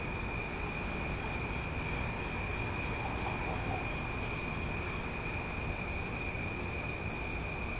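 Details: Nighttime cicada chorus recorded in Omaha: constant high, layered buzzing with no breaks, a faint brief murmur in the middle range around the midpoint, and steady low background rumble.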